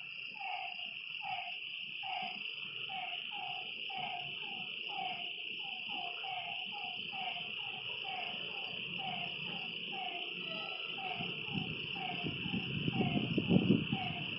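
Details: Frogs at a lakeside by night producing a long run of short descending croaks, rapid and uneven, beneath a steady insect buzz, with a low rumbling noise rising toward the end.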